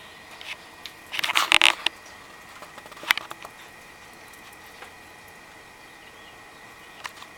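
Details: A sick javelina, possibly having inhaled a bug, stands at a doorstep, unaware of the observer behind the screen door. It gives a cluster of harsh, broadband coughing bursts around one second in, then a single sharp cough near three seconds. Faint background hum follows.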